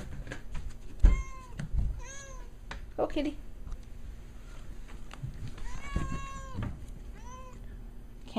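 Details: Cat meowing because it wants to go out of the house: several short rising-falling meows spread across the recording, some faint and some clearer, with low rumbling background noise and brief murmurs of human speech.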